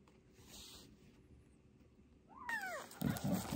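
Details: Fostered kitten, one of a sister and brother pair taken in under emergency protection, during toilet training indoors; a single short meow rises and falls, followed by loud rustling and bumping noises.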